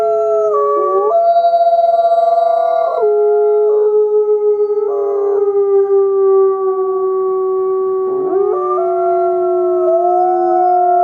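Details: Several wolves howl at once in loud sustained tones, the voices jumping between steady pitches, with short wavering yips breaking in between the long notes.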